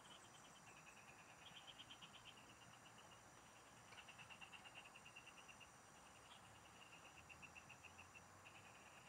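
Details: Frogs calling in farm fields during a fishing trip: quick bursts of bright ticking pulses, several callers overlapping and shifting slightly in pitch, with a constant shrill insect drone behind them.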